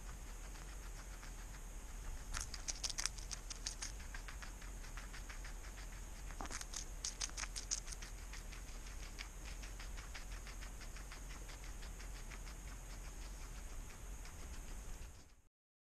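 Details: Nora, a pet guinea pig, nibbling butter lettuce in very low light, filmed with a GoPro; two bursts of crisp, rapid crunching clicks break up long quiet stretches over a steady faint hum.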